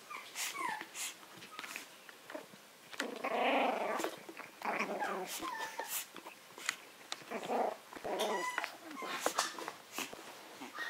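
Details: Maltese alongside a Yorkshire terrier in a contest: rumbling growls swell in bursts around the middle, mixed with thin whines and quick yips, with small clicks and scuffling throughout.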